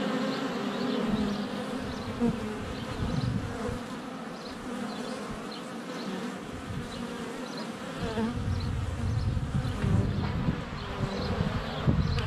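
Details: Honey bees crowding the entrance of their hive during a sunny spell in February, GoPro under a foot away; sustained deep wingbeat hum rising and falling as bees fly close or land, faint high chirps of birdsong behind.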